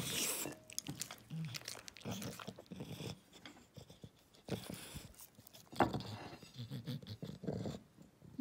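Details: English Bulldog eating, crunching and biting food in a steady run of loud, uneven chewing noises with smacking and snuffles; a person talks about a banana and a carrot.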